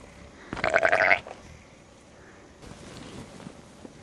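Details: Sheep and lambs in the snow: one short, wavering harmonic bleat lasting about half a second, followed by quiet rustling and faint background noise.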